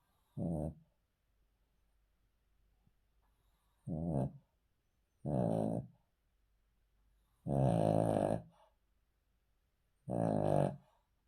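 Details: Cavalier King Charles Spaniel asleep indoors, sleeping on the floor, snoring: five rough, harmonic-rich snorts of varying length at irregular intervals of about two to three seconds, separated by near silence in a quiet small room.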